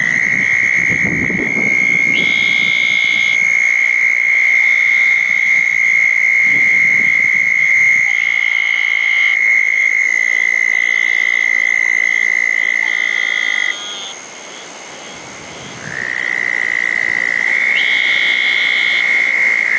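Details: A wet-night chorus at small ponds after a thunderstorm, June 10, 2014, where southern toads were calling and eastern narrowmouth toads were also present. A long high trill carries throughout, broken by repeated higher buzzy bursts and a few low thumps.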